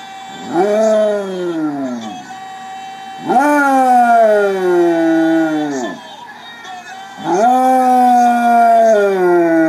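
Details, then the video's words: A Basset Hound howling along to Spanish soccer goal calls gives long, mournful howls that rise sharply and then slide slowly downward. "Basset Hound howls along to Spanish soccer goal calls"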